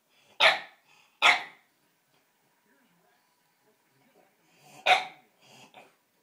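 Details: Bulldog named Gus, indoors watching a dog show on television; three loud, sharp barks at irregular intervals, then two fainter short yaps near the end.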